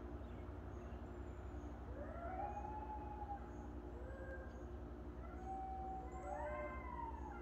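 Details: Several coyotes passing through in the early morning howl together in overlapping, wavering wails near a fenced goat and duck farm, over a steady low rumble of traffic.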